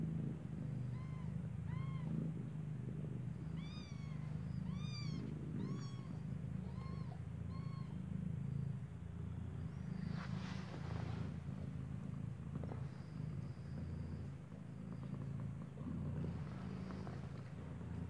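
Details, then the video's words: Newborn kittens, eyes not yet open, lying with their mother cat that stays close beside them: a run of thin, high, arching mews, roughly eight in the first eight seconds, then a low steady hum with soft rustling and bumps. "Cute Newborn KITTENS MEOWING"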